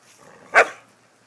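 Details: A single short, sharp bark from a pet dog playing with its new baby brother, rising abruptly and cutting off within a fraction of a second against a quiet background.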